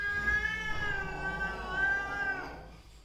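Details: Quarrel between a mother cat and her daughter, heard as one sustained, wavering yowl that holds steady before slowly fading away at the end.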